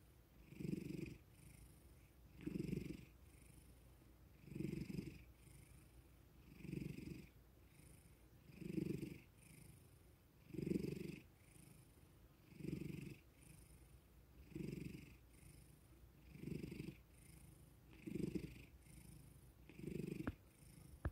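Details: Calm male cat purring as he receives petting and attention on waking; a long regular series of about eleven low throbbing swells, one every two seconds, with faint breathy hiss over each.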